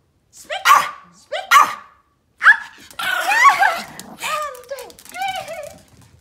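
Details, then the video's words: Pomeranian barking on command during playtime, three crisp high yaps followed by a rough yelping burst and falling whiny notes, a person talking indoors. "pomeranian barking playtime: the funniest bark"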